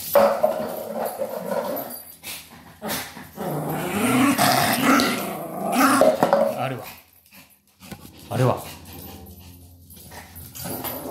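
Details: Maltese named Sora, kept indoors, playing with a plastic bottle to let off stress; rough, rasping growls rise and fall in bursts over the middle seconds, mixed with crinkling plastic clicks and nearby human voices.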